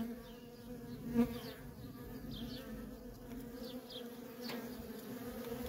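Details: Continuous low drone of worker honey bees coming and going at a feral colony, with one brief louder buzz as a bee passes close. Faint high, downward-sweeping chirps in the background.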